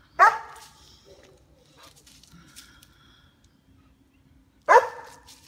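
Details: Female White German Shepherd, also called Swiss Shepherd, aged two years nine months, guarding a backyard against squirrels: two sharp, loud single barks about four and a half seconds apart, with faint outdoor noises between them.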